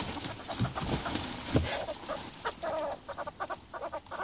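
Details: Two young ferrets, a 20-week-old micro ferret kit and an 18-week-old hybrid kit, wrestling in rough play: scuffling thumps and rustles, then a run of quick soft clucking pulses repeated several times a second near the end.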